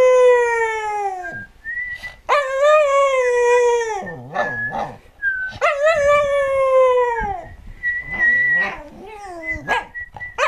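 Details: Singing American Cocker Spaniel Džo, 2008: drawn-out howls that start high and slowly sag in pitch, broken by short wavering yips and gaps, with a thin constant tone running underneath.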